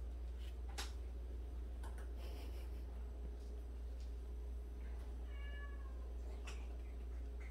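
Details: One of 76 rescued cats living together indoors gives a single short, smooth meow partway through, surrounded by light tapping and shuffling noises and a steady low-frequency room hum.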